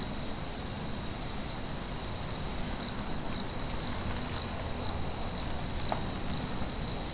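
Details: Night-time cricket chorus. Crisp, high chirps begin after a brief pause and then repeat evenly about twice a second over a continuous shrill background buzz and soft low rumble.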